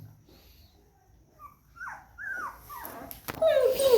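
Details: Labrador Retriever puppy, a pet dog at home, giving short high whimpers that rise and fall, then a longer wavering whine near the end. A person talks nearby.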